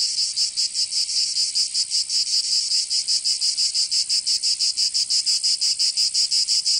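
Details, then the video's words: Provençal cicadas of southern France singing in summer: a piercing, continuous buzz modulated into rapid rhythmic beats, around three per second, with nothing else audible. "Canto Cigarra 🦗 [ Escuchar les cigarras en verano 10 H]"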